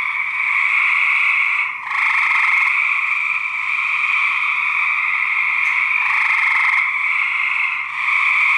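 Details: Rival male gray treefrogs (Hyla versicolor) fight in 2010, giving loud, steady musical trills that run almost unbroken as aggressive calls.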